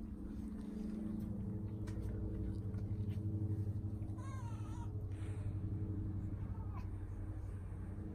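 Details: British Shorthair cat in an outdoor summer house built for the cats, visited each morning in summer; a short wavering meow near the middle, then a fainter second one, over a steady low rumble of traffic or machinery.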